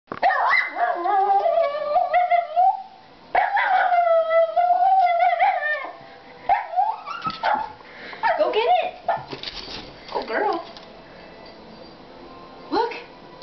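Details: A Jack Russell Terrier yelling at a squirrel: long, high whining yelps and drawn-out howling barks in bursts, with shorter sharp barks and yips later.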